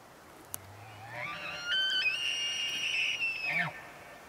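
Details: A bull Rocky Mountain elk bugles in heavy morning fog in Maggie Valley, North Carolina: a deep note climbs into a piercing whistle held about two seconds, dropping abruptly with a faint grunt.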